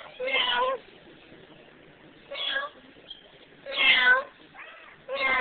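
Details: Meowing back and forth with a person, Emo, a pet cat soon to be given away, makes four sustained meows, the third the loudest and longest, in a quiet indoor room.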